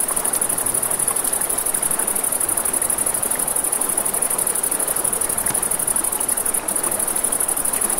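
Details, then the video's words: Nighttime riverside crickets keep up a continuous thin high-pitched buzz, steady in loudness, with a soft wash of flowing river and occasional faint crackles from a campfire. "Crackling Fire, Crickets, Ambient Nature Sounds"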